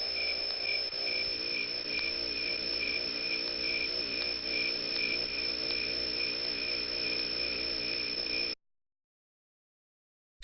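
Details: Cricket giving a continuous fast trill, a steady high pulsing buzz held for about eight and a half seconds before falling silent.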